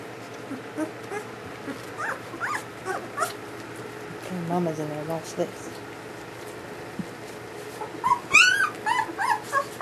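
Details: German Shepherd puppies, newborns of Ulra's first litter, give scattered thin arching whimpers over a constant hum, with a woman talking softly, then a loud burst of high squealing cries near the end.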